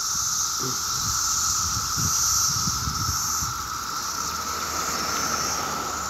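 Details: Dense summer chorus of 17-year cicadas in Maryland, a loud, steady, single-pitched drone with a strong high hiss swelling and fading over it, and light traffic rumble in the background.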